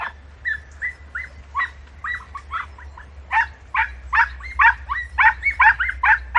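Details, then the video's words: Several podencos hunting in brambles in Campo Arañuelo, Spain, giving high, tonal yelping barks more than two per second. The calls grow louder and denser toward the end over a low background hum. "Lances en zarza , podencos del campo arañuelo"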